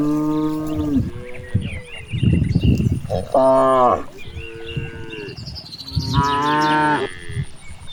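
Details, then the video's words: Several moos from cows grazing in a wide rice field: low, drawn-out lows overlapping with higher, brighter calls, some rising at the end, amid rustling, thumping and a steady high background tone. "the sound of cows"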